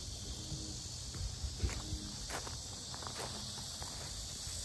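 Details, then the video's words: Very loud cicadas drone on at the lotus park of Sinjeongho lake, Asan, Korea, a constant shrill hiss filling the air while footsteps and a few light clicks pass by underneath. "매미소리 주의"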